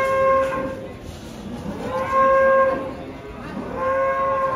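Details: A giant, lame cow unloaded from a truck, its leg refusing to touch the ground, gives three drawn-out, steady, harmonic moos about two seconds apart, each lasting under a second, over background music and crowd noise.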